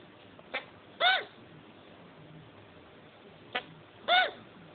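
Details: A male chinchilla, just after mating, gives two short hiccup-like squeaks, each led by a soft click, about three seconds apart.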